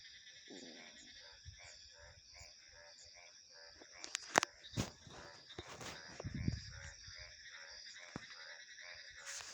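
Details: Frogs croak in a rapid, evenly spaced series of short pulsed notes over a steady high insect chorus, broken midway by several sharp knocks and rustling bursts.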